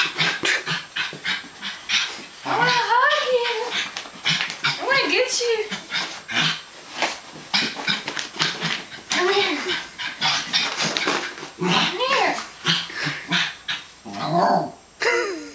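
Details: West Highland White Terrier named Zoey playing indoors with her owner, giving short rising-and-falling whiny grumbles in scattered bursts, mixed with frequent human talk and handling noises in a small room.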